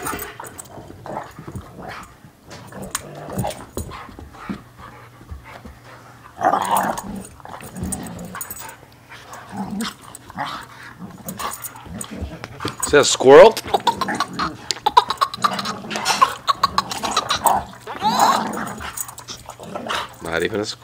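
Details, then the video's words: Pair of domestic dogs wrestling in play, growling in long rough rumbles that grow busier and louder in the second half, with snorts, scuffles and a steady low hum underneath. "Sox and Louie wrestling"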